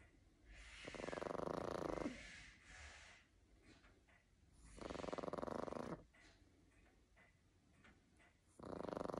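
A Boston Terrier snores in loud, rasping bursts, each breath rattling for about a second.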